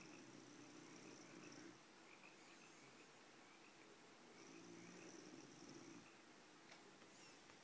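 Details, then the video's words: A bulldog snores while sleeping: a breathy, rattling snore opens, then a second humming, throaty breath follows about four seconds later, with soft background hiss in between. "Bulka Snoring"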